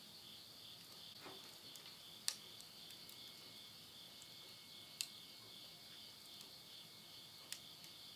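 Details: Late-summer insects at midnight in rural Yurihama, Tottori, Japan, September 2020, keep up an unbroken high-pitched ringing drone, while burning wood in a stove snaps with loud isolated cracks about every two to three seconds.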